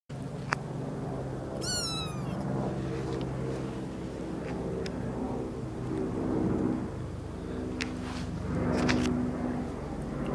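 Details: A kitten in a garden gives one high, thin meow that slides downward, over a steady low rumble.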